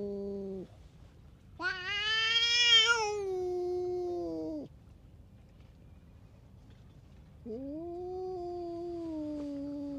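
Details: A tough stray cat lashing out at other cats gives drawn-out, harmonic-rich yowls: a short call, then a long rising wail that slowly sinks, a pause, and another lower, steady moan, all over a quiet background.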